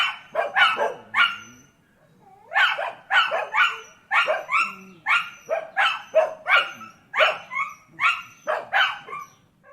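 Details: Dogs barking in quick, uneven series of sharp yaps, a short pause near the start, then a long unbroken run of barks with faint whining undertones.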